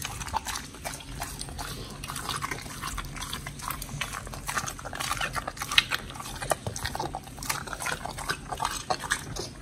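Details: Pit bull dogs Oli and Nommy eating raw food, a giant white snapper combo, in a raw-feeding mukbang recorded 21 October 2023; wet smacking and tearing bites in dense, steady bursts with soft liquid squelches throughout.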